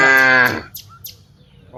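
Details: A cow among dozens walking from the rice fields to the village gives a brief, loud half-second moo, followed by quiet with faint chirps.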